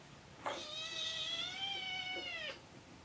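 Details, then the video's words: Kittens asking for food in the morning, indoors; one long, level, clear meow lasting about two seconds, slightly rising then falling at the end, in a quiet room. "Meowning Kitten Choir"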